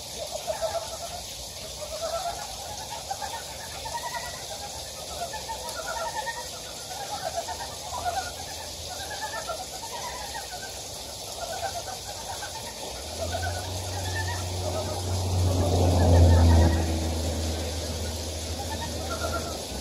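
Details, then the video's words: Frogs calling in a valley of Gyejoksan, Daedeok-gu, Daejeon, South Korea: several overlapping pulsed, trilling croaks at mid pitch repeat steadily over a constant rushing hiss, with a loud low rumble swelling near the end. "대전 대덕구 계족산 계곡에 자연의 개구리 울음소리"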